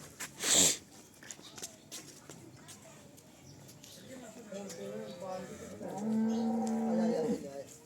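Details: Sale cow of Cholistani and Jersey cross breeding, Pakistan, March 2025; a sharp sneeze-like burst opens, then quiet murmur, before a steady, level low moo builds during the final three seconds.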